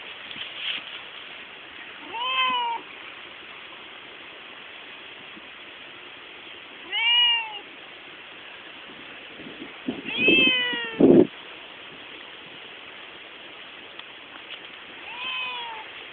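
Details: A household pet cat guiding its family along, giving four clear meows spaced several seconds apart, each rising then falling, the third louder and strained, with a brief knock and quiet background hiss between calls.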